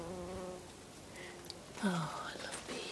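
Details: Bees feeding on lavender in a garden in Brittany, France, in August: a steady low droning hum with a clear overtone stack that fades, then a fainter buzz, followed by a woman's voice and light garden ambience.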